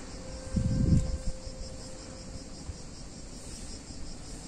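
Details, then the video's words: Cicadas on a hot summer day in a picturesque Italian town: a steady, high, shimmering buzz runs throughout. A brief low rumble near the start and a faint steady hum sit beneath it. "Cicadas In Warm Summer Day In Italian Town"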